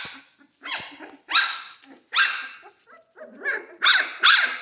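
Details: Central Asian Shepherd Dog. Central Asian Shepherd puppies give a quick series of bright, high-pitched yapping barks, several voices overlapping with a faint growly edge. They are probably hungry and calling to be fed.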